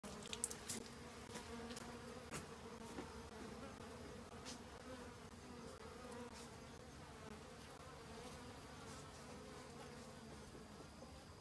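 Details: Honey bees in autumn, busily foraging for food to last the winter: a steady, low droning hum with layered tonal bands, unbroken throughout, with a few faint clicks near the start.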